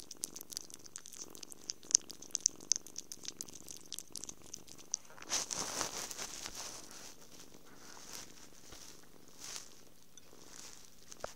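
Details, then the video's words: Happy kitten purring through cuddles, food and sleep, a faint low rumble under frequent clicking, patting and brushing noises, with a louder rustle midway. "Happy kitten. Purrs, cuddles, food, and sleep"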